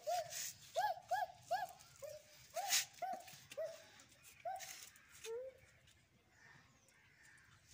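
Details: Angry dog giving a rapid series of short, upward-arching yelps, about three per second, that fade out after five seconds into a quiet, soft background.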